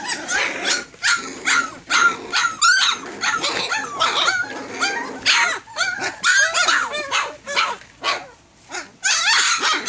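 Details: Fourteen Tosa Inu pups close to three weeks old: loud bursts of squealing and yelping, crowded overlapping whines with short gaps, a noisy chorus of the whole litter.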